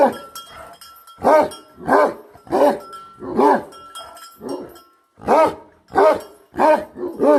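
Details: Bhote Kukur guardian dog, kept with livestock, barking in deep, harsh, harmonic barks about every half second, roughly ten in all with a short pause near the middle, a faint steady tone in the background.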